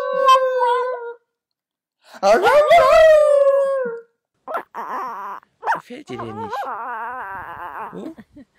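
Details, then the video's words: Indoor dog vocalizing in a 'talking' manner: a short held howl, then a louder wavering yowl that slides downward. Broken, murmuring whines follow, ending in a long quavering moan. "Have you ever seen a talking dog-"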